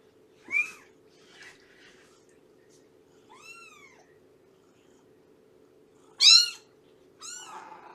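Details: Scattered meows from cats in a foster home with rescued nursing mother Shelby: a quick high call, a softer arched one, then a loud bright cry near the end, with quiet gaps and a low hum.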